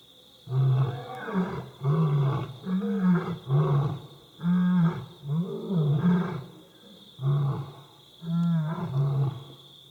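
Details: Two lionesses roar in the middle of the night outside staff quarters at Bilimungwe Bushcamp: deep, throaty roars broken into short grunting bursts, with a steady high hum behind.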